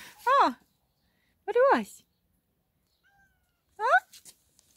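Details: A black female cat meowing while being petted, three short funny meows, each a rising then falling tone, spaced about one and a half seconds apart in a quiet room.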